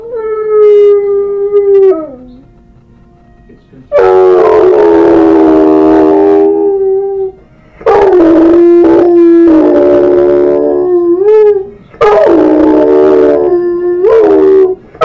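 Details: Pet dog Harley singing to TV jingles and theme songs: loud, sustained tonal howls, each held several seconds with slight downward bends, separated by short quiet gaps, about four drawn-out notes in sequence.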